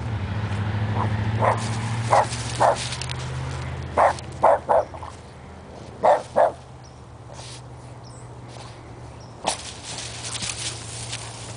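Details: A Boston Terrier meeting a cow for the first time in a backyard gives short, sharp barks in irregular bursts over a steady low hum.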